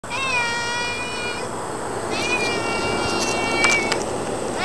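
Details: Domestic cat meowing loudly: two long, steady, nasal meows, the first over a second long, the second longer, with a few clicks near the end.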